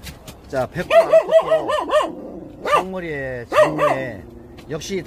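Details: Korean Jindo puppies give bouncing, high-pitched yelps in quick runs, broken by a longer sliding whine. Human speech runs alongside the calls.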